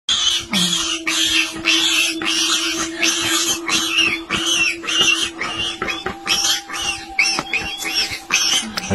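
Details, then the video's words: A warthog piglet caught in a leopard's jaws cries to escape; shrill, harsh squeals repeat rapidly in broad bursts about twice a second, over a steady low musical hum. "Baby warthog cries for escape from Leopard's jaws"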